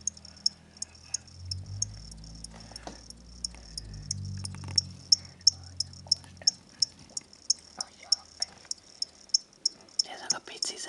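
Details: Two crickets kept as indoor pets after purchase from a pet shop that sells them as reptile food. A steady train of high, piercing chirps, nearly three per second, runs over a low humming rumble and brief quiet talk.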